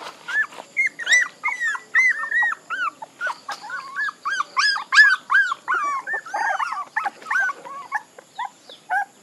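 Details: A litter of puppies keeps up steady high-pitched whimpering, each squeal a short rising-and-falling cry repeated rapidly, several voices overlapping throughout.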